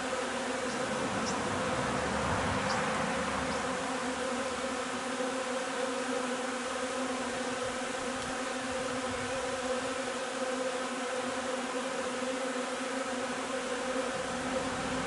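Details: Honey bee hive during linden nectar collection on 3 June; a long, unbroken swarm-like hum with steady harmonics, a few faint high ticks early on.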